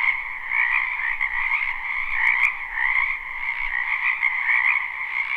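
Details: Frogs massed in a spring wetland behind a home, recorded live without looping: a constant buzzing, trilled croaking chorus, unbroken, with a brief sharp click near the middle.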